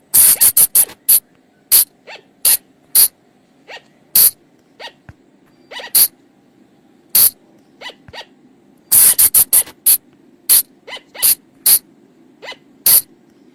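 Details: Used to lure flying lemurs at night, this call comes as crisp, high bursts, some with softer dropping notes, fired in irregular quick series with brief pauses, over a faint low hum.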